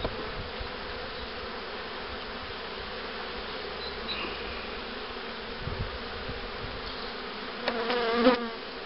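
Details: Even droning of honey bees around hives set up for queen rearing in 2013; a low steady hum with a brief tonal squeak and rustle toward the end.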